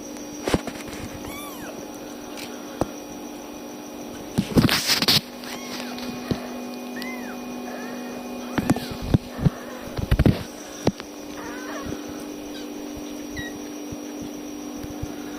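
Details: Crying tiny kittens calling until their protective mother arrives: short, high, bowed mews rising and falling, spaced irregularly, with loud bumps and rustling from movement and a constant faint hum.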